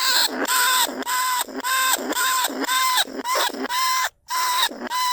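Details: Lesser bandicoot rat, recorded live in a rice field at Na Lao, Nong Khu Phai, used to lure rats out of burrows into traps: rough, nasal harmonic calls repeated about twice a second, each steady then dipping, one short silence near four seconds.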